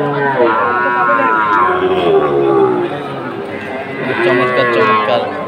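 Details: Sahiwal bull calves at a cattle market in Chattogram, Bangladesh: long harmonic moos with falling and rising pitch, overlapping, with crowd murmur and background chatter.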